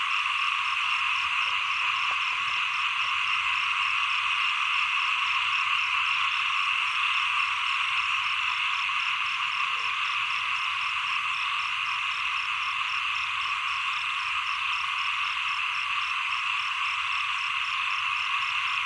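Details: Small frogs in full chorus at the close of the rainy season and onset of the cold season, continuous overlapping croaking with a rapid high pulsing tick repeating about three times a second.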